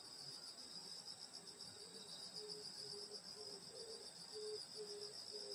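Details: Grass insects on a Korean countryside summer night at a grandmother's house: a constant high shimmering trill chorus, joined by a lower caller giving short hooting notes repeated about twice a second.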